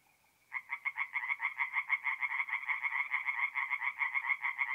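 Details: Tree frogs calling at night from a forest pond in north-east Italy in mid-April; after a faint tone, a fast series of raspy, pulsed croaks starts suddenly and continues steadily, several per second.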